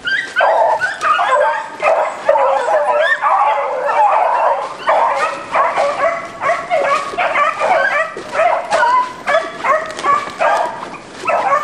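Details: During a stick hunt for roe deer, a beagle pack keeps up a dense, continuous chorus. Many dogs give ringing bays and yelps that overlap without pause, rising and falling in loudness in rough pulses for the whole stretch.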